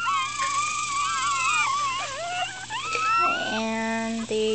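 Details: Upset newborn Miniature Schnauzer puppies, four days old, black-and-silver and dark salt-and-pepper litter, cry in long wavering high whines that slide up and down, joined near the end by a steady tonal stacked sound over a constant low hum.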